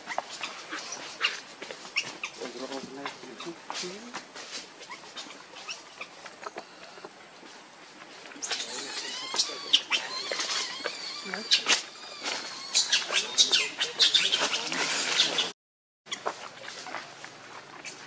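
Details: Hungry baby monkey Lucie cries for milk: soft scattered whimpers at first, then a loud burst of shrill, wavering squeals and screams before a brief silence and quieter noises.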